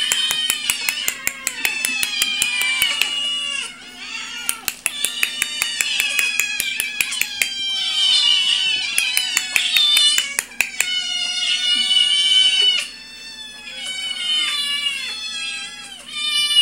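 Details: Domestic cat family, father Orion, mother Princess and their kittens, indoors: overlapping high, wavering meows rise and fall in a continuous chorus, with rapid sharp clicks through the first half and brief quieter pauses.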